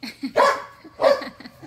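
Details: Pit bulls and a Malinois at play in a back yard; two brief harsh barks with a softer yip-like sound before them.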